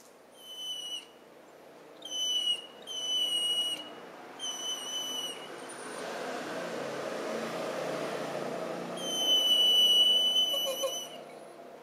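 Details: High, thin whistling whines from Suza the Weimaraner, asking to go outside, 4 January 2011, Panasonic Lumix recording: four short piercing bursts, a stretch of hissing room noise, then another drawn-out shrill whine near the end.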